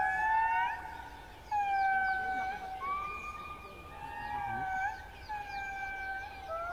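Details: Indris in a Madagascar forest give loud, siren-like wails that glide up and down, several voices overlapping in chorus: an early-morning territorial song announcing their territory, audible perhaps from up to 3 km away.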